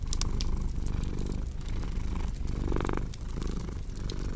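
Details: Low rumbling cat purr rising and falling in breathy waves, partly masked by loud crackling and popping from a fireplace.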